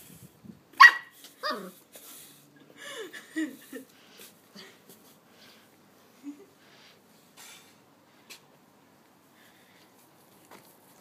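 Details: A female Golden Retriever puppy playing with a broom gives high, squeaky barks and yips in short bursts, with scattered clatters.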